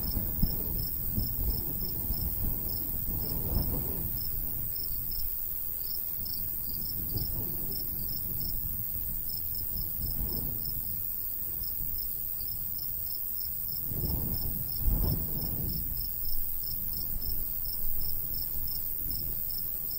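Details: Countryside crickets by a golden wheat field in summer: a long, even train of rapid high chirps pulsing steadily throughout, with gusts of breeze rising around a few moments and fading again.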